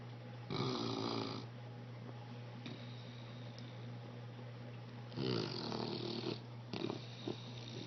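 An English Bulldog snores in loud, rasping bursts, with a steady low hum underneath.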